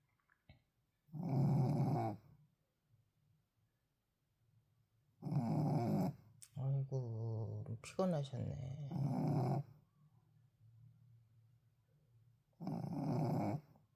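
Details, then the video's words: A tired Shih Tzu snores while sleeping indoors: four rough, buzzing snores about four seconds apart, with a woman speaking softly between the middle snores. "잘 들어보세요 피곤한가봐요^^"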